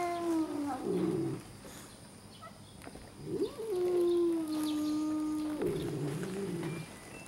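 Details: Red tabby cats in an early-morning confrontation just outside a park; drawn-out low yowls that break into rough, growly wavering, with a brief gap, then a long level moan and another gravelly burst.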